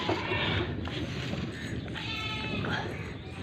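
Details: Female Amritsari Beetal goat on a goat farm in Pakistan, giving a short wavering bleat with stacked harmonics near the end, over steady background noise and a man speaking in Urdu.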